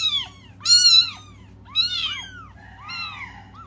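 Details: Cats crying for their mother give loud, strained, high-pitched meows in quick succession, the second and third harsh and forceful, ending in a softer, drawn-out wail over a quiet hum.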